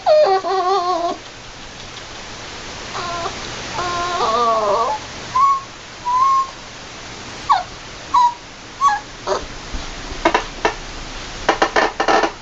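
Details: Puppy with its mother, giving high whimpering whines, some wavering and some short rising squeaks repeated in bursts, followed by a run of brief clicks and taps near the end.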